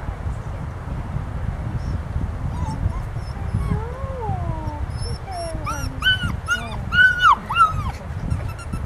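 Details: Joyful Golden Retriever mix puppy whining and yipping: thin wavering whimpers slide up and down, then quicken into short high yelps near the end. A steady rumbling background noise runs throughout.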